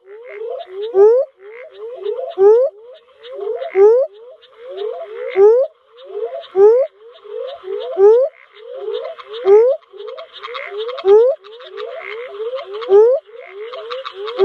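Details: Northern spadefoot toad of Australia: a steady run of short, low, upswept whooping notes, with a louder note standing out about every one and a half seconds, over a dense buzzy chorus of higher trilling callers.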